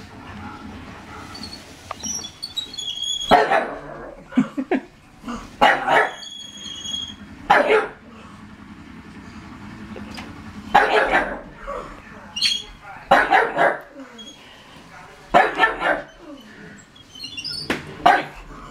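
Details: Pug indoors reacting to a Lego toy tank it dislikes, giving short sharp barks in bursts roughly every two to three seconds with quieter gaps between, in a small room.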